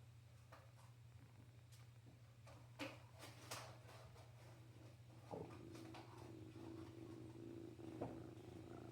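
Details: Young male kitten, still with his mother and littermates, purring for a person; after about five seconds of handling clicks and rustles, a steady low rumbling purr with a fine pulsing texture sets in and continues to the end over a constant low hum.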